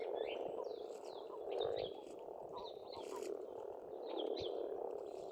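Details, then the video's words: Springtime frog chorus at an Estonian farmstead pond, steady throaty croaking throughout, with a bird repeating short descending whistled notes above it. "Расслабляющее пение птиц и лягушек, весна, природа."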